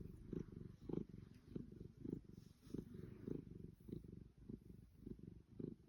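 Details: Purring Savannah cat in bliss during a long fussing session, a low continuous vibration broken into regular breaths about every half second to second, evenly paced and soft.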